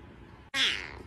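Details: Domestic cat giving a single short, harsh meow that starts abruptly and fades over about half a second, with a noisy, breathy edge over a low steady background hum.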